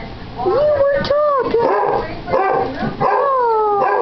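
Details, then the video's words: Morning howling match between two Basset Hounds, one a nearly eight-month-old pup-voiced male; clear drawn-out howls rise then slowly fall, several overlapping, with a short gap before a long final wail. "One HOWL of a GOOD TIME!"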